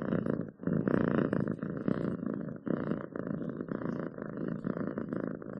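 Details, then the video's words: Purring house cat, a deep, vibrating rumble rising and falling in even cycles of inhale and exhale, close and loud in a quiet room. "7 minutes of Cats Purring to make your day better!"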